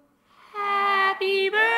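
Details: Pet dog Mugs howling along to Happy Birthday: a sustained, steady-pitched tonal howl with rich harmonics that swells in after half a second and holds, broken by two brief dips.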